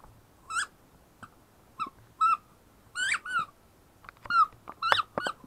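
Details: Zara, a 10-week-old German Shepherd puppy, whines in short high squeaky yelps, each a bright tonal cry with a slight bend, coming in irregular bursts a second or so apart with quiet gaps between.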